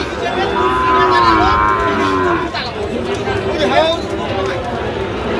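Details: Sahiwal bull calves at a cattle market (haat) near Dhaka on 3 October, as a farmer shops for one; a long drawn-out moo with wavering harmonics over the first half, then crowd chatter and scattered calls.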